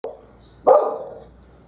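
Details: Pet dog barking at birds on a fence: one sharp, hoarse bark after a faint click, then fading quiet.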